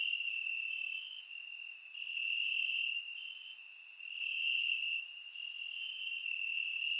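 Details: Field crickets trilling in the grass on a warm Bulgarian summer night: an unbroken high-pitched chirping drone, loudness waxing and waning in slow waves, occasional sharp high clicks.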